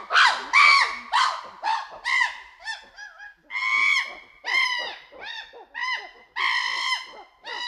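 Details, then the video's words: Loud screaming from a chimpanzee group: piercing, rich, arching shrieks in bursts, each rising then falling, with short gaps and several overlapping voices. "Group of Chimpanzees Hoot & Scream Quietly at First Followed by Loud Screaming"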